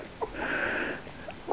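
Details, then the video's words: Two-week-old Italian greyhound puppies, a litter from JLo and Presley, handled indoors; a brief thin whine holds steady at a high pitch for about half a second between soft snuffling sounds. "Two week old italian greyhound puppies"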